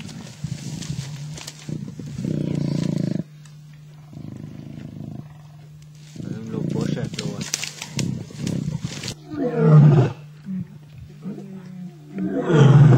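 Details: Two male lions tug at a kill in Africa. Deep growling bursts alternate with quiet gaps, and people's voices talk over the later part.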